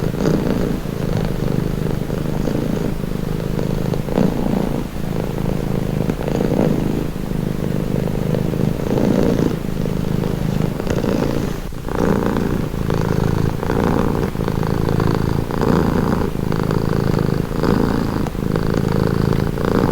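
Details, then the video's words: Long stretch of relaxing cat purring: a constant low vibrating hum in repeated breath cycles, slightly rougher in the first half and smoother, more regular later, with one short break. "Purring cat | Calming Relaxing Nature Sound"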